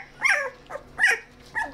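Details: Sixteen-day-old Australian Shepherd puppy, a feisty female, handled indoors; three thin, high whimpering squeals roughly 0.7 seconds apart, each dropping quickly in pitch, with a quiet steady hum underneath.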